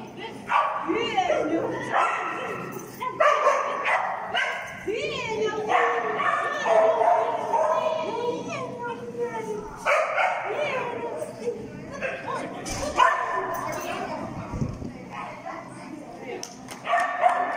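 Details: Finnish Lapphund on a jumping agility course at PAWS, 3 October 2020: bursts of high yips and sharp barks, some rising and falling whine-like sweeps, over a handler's voice speaking throughout.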